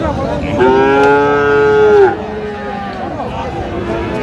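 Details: Sahiwal bull calves at a Bangladeshi cattle market on Saturday, 9 August 2025; a single loud, steady, slightly falling moo of about one and a half seconds over faint crowd murmur.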